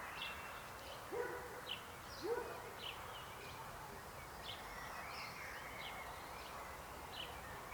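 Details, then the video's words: Frogs croaking: two louder, low, short croaks come early, then scattered higher chirps follow over a dense, steady chorus of background calling. "Rechot żab. Croaking frog sound."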